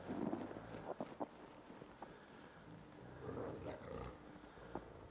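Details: Captive ambassador gray wolves interacting for dominance on 15 December 2008: a deep, rough growl opens the recording, followed by softer snarling bursts and a brief whine amid shuffling sounds.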